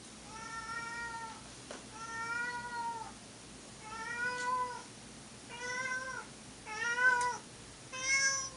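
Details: Old footage of one of two pet cats, Monkey and Dipper, yowling indoors: six drawn-out, harmonic-rich meows, each about a second long with a slight rise and fall, spaced at uneven intervals in a quiet room.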